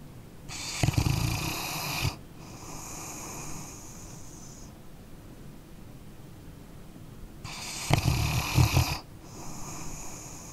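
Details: Sleeping dog snoring, two long rough inhaled snores about six seconds apart, each with a low fluttering rattle and broad hiss, fainter breathy exhales between them.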